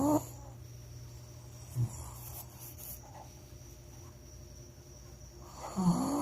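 A Shih Tzu snores in a quiet room, each breath a low, rattling rumble. The snores come at the start, around two seconds in, and again near the end, with soft room hum between them.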